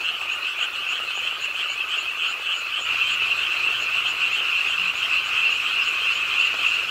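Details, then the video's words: Pond-side frogs croaking with the rainfall at night in Ingye Art Park, Suwon, many voices trilling together in a fast, slightly uneven pulse, about three and a half per second, growing a little louder midway. "비오는 밤 개구리소리, Do you hear the frogs? 비오는 밤 공원 연못 추억의 개구리 소리, Frog Sounds, 빗소리와 함께 듣는 개구리 우는 소리"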